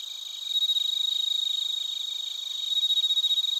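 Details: Bell crickets and other crickets recorded in Narita, Chiba, Japan, using a TASCAM Portacapture X8. A loud, rapid pulsed chirp dominates, beating several times per second, over continuous shrill trilling from further insects behind it.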